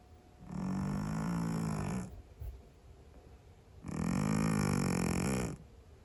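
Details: Sleeping Scottish Fold cat snoring loudly, two long rasping breaths about three seconds apart, each lasting around one and a half seconds with a low buzzing rattle, quiet pauses between.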